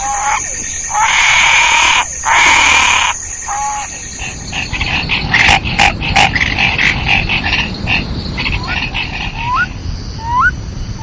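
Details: Frogs calling over loud hissing bursts at the start, then a steady croaking chorus and several short rising whistled notes toward the end.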